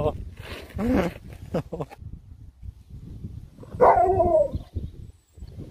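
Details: A pet Alaskan Malamute named Sherpa lets out a single short, wavering howl that slides downward, following a stretch of human speech and household noise.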